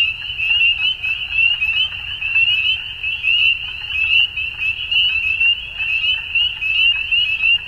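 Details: A dusk frog chorus: many high-pitched callers overlapping into a continuous trilling wall, gently swelling and fading in loudness, with soft low rumble in the background.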